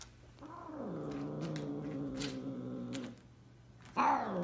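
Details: An African serval mating with an F3 Savannah cat, its companion since kittenhood, gives a long, low, wavering yowl, followed by a sharper, louder cry.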